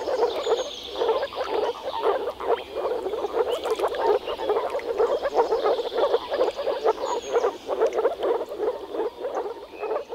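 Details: Chorus of male moor frogs gathered in a small forest pond to mate in early spring, producing steady rapid croaking through vocal sacs, overlapping pulses with thin bird calls in the background.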